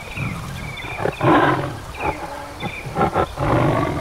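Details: Bengal tiger roaring in the Sundarbans mangroves, India: a series of broad, rasping bursts, the loudest near the start, with short growled pulses following and faint bird chirps above.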